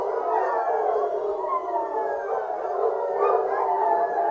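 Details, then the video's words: Foxhounds in full cry on a fox hunt. Numerous voices wail at once in drawn-out, quavering howls, forming a steady unbroken wall of baying. "Fox hunting hounds singing"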